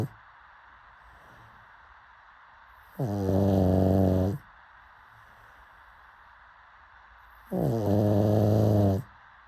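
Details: Two rasping, harmonic-rich snores from a sleeping pug, each lasting just over a second, come about four and a half seconds apart with near silence around them.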